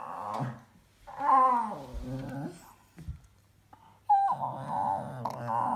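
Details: A pet dog making funny noises indoors: two wavering, moaning whine-like bouts with warbling harmonics, about a second or more each, separated by a quiet gap with a soft thump.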